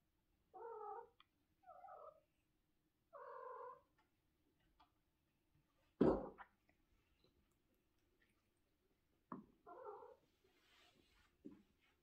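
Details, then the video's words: House cat in the morning with a series of short repeated meows spaced a second or two apart, a loud thump midway, then more meows and soft rustling near the end. "Good meowning in the morning!"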